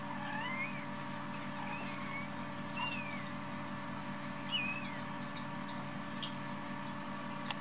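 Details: Week-old Munchkin kittens from a litter of four siblings mew in short, high, wavering notes, each sliding up then down, about a second apart, over a constant electrical hum.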